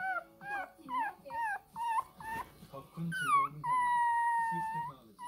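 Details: Angry Shih Tzu puppy Ppukku, aged 20 days, demands milk with short yelping whines, then a rising squeal drawn out into one long, steady high cry, faint low murmuring beneath.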